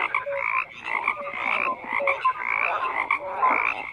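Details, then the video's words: Frogs croaking in a dense chorus, overlapping rasping calls stacked between mid and high pitch, pulsing in bursts roughly every half second, with brief clear whistled notes threaded through. "FROGS CROAKING"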